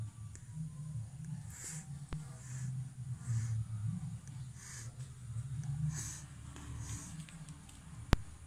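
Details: Rescued abandoned kittens, one of three found (white, black and brown), two hissing at a person on first being found; short breathy hisses repeat roughly every second over a steady low hum indoors.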